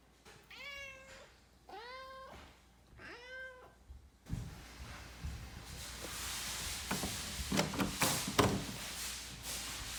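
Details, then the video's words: House cat meowing to be let into a room, three rising, insistent meows in the first four seconds, followed by loud thumps, knocking and handling noises indoors. "Cat meows until he gets in"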